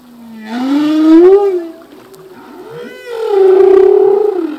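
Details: Singing male humpback whale: two long, loud, wavering moans, each swelling and bending in pitch with layered overtones, separated by a softer rising glide.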